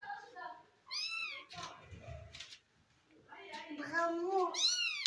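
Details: Kitten indoors in a room giving several rising-then-falling meows with bright harmonics, one near the start, a pair of overlapping cries toward the end, with a woman speaking between them.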